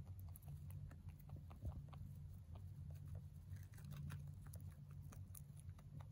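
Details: A male mini rabbit crunches hay with quick, soft, dry clicks over a steady low hum.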